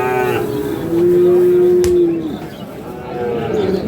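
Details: Sahiwal bull calves at Ambari haat, Parbatipur upazila, Dinajpur, Bangladesh, on 9 February 2026: a brief low call followed by a sustained, level moo lasting over a second, and a fainter rising moo, with bargaining voices around.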